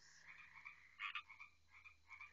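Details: Frogs calling loudly at night around a house, overlapping trilled notes with one sharp loud double croak in the middle of a steady chorus.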